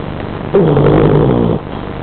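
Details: Wilson, a pet dog, snoring while asleep in the dark: one rough, buzzy breath lasting about a second, with a harmonic drone, rising out of a steady low background hum and then fading.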